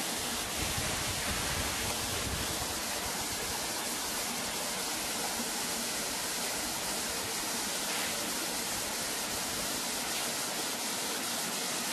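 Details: Steady broadband rushing like a waterfall or stream fills the whole clip, with no animal calls heard.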